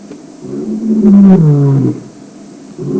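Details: Male lion signalling to the pride and to other lions in the area: a single deep, full roar, rising then falling in pitch over about one second, followed by a softer low grunt.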